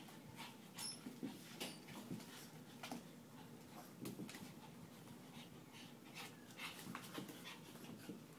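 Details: Winston, a foster Shih Tzu and pug mix, pants while playing: quick breathy huffs come in rapid rhythmic bursts, with a few sharper clicks and soft rustling in between.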